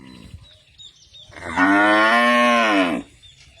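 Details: Cattle on a ranch; a single loud, drawn-out moo lasting about a second and a half, harmonic and steady with a slight fall at the end, preceded by a short faint low grunt.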